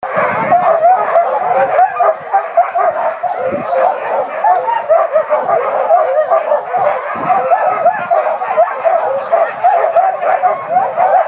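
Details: Many huskies at a farm in Pyhätunturi, Finnish Lapland, waiting in winter for a 10 km sleigh ride; dense, continuous excited yelping and high howling barks from the whole pack, steady throughout with no pauses.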